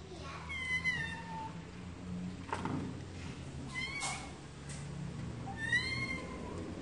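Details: Several cats meowing, with high harmonic meows that rise then fall, about three separate calls spaced a few seconds apart, over a steady low hum and some clicking sounds.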